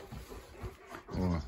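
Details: Central Asian Shepherd puppies, four months old, in Lviv, Ukraine, sit on a table waiting to be fed. A low, drawn-out grumbling whine swells at the end after quieter shuffling, with a woman talking nearby.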